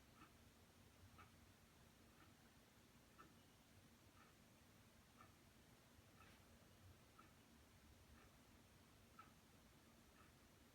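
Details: Female house cat carrying her favorite toy in her mouth, announcing it as her trophy catch as if mimicking her mother's hunting; short soft chirping calls repeat about once per second against a quiet, hissy background.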